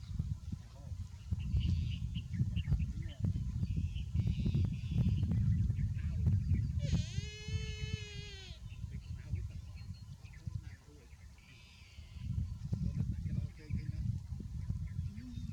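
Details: Baby buffalo calf said to be too hot, giving a single drawn-out, tonal bleating cry of about a second midway through, set against steady low rumbling background noise with faint scattered bird chirps.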